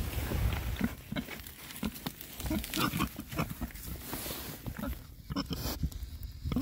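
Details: Six male rare-breed Oxford Sandy and Black pigs foraging outdoors in winter between storms; low, short grunts come in quick uneven bursts, with rustling and snuffling as they root about.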